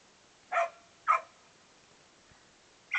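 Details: Beau, an Australian Cattle Dog/English Setter mix foster dog, barking while playing indoors; three short sharp barks, two close together about half a second apart, then a pause before a third, over quiet background hiss.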